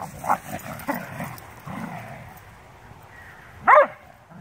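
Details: Two dogs, a beagle/shepherd mix and a bluetick, vocalizing while playing: low grumbling sounds early on, then a single sharp, loud yip near the end. A bell rings to end the round.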